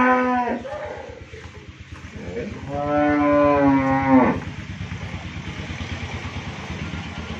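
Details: Friesian cow, first calving, with heifer calf in Bhangura, Pabna, Bangladesh; the end of one moo opens, then a strong, sustained lowing moo of nearly two seconds, over a steady mechanical thumping in the background.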